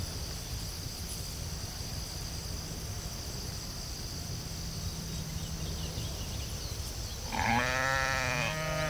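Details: Sheep in a field: a single wavering, harmonic bleat breaks in near the end after a long stretch of steady outdoor rumble and a continuous high insect-like hiss.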